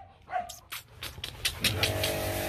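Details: Young Rottweilers Nano and Nina, kept as breeding dogs, playing with their owner; quick noisy breathy pants come about five times per second, over a steady low hum and a tonal background drone.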